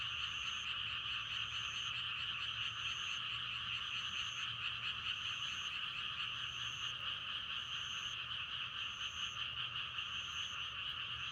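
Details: Massed frogs croaking without a break in a rapid, grainy chorus for meditation and sleep. Brief high-pitched notes recur roughly once a second, and a soft low drone stays in the background.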